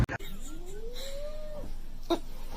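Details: A cat gives a single drawn-out meow that rises smoothly in pitch, then holds level for over a second before cutting off. A sharp click comes first, and a brief knock follows later.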